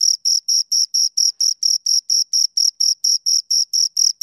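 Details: Cricket chirping, with rapid, evenly spaced high-pitched pulses at about four per second, each a bright tonal burst with a fainter higher overtone, steady and loud against complete silence.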